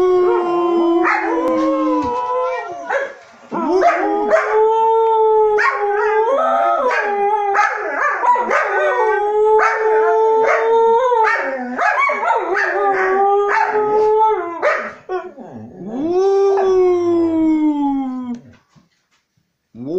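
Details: Samoyed dog howling: long drawn, wavering tonal howls held at a steady pitch, broken by short yelps and yips, with one final howl sliding downward before falling silent.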